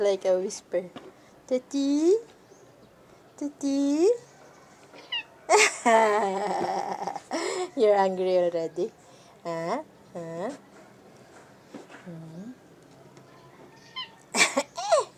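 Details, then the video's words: Pet cats at home, the ginger one named Sassy, giving a series of short rising meows, spaced a second or two apart, over ongoing human chatter indoors. "Miawww sounds of our PreciousFurBabies"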